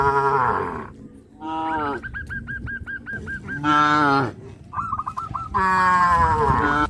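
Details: Tame cows crowding around fields, running and jumping for joy, give loud drawn-out harmonic moos, four in about seven seconds, between which runs a rapid string of short, high, hooked chirping notes.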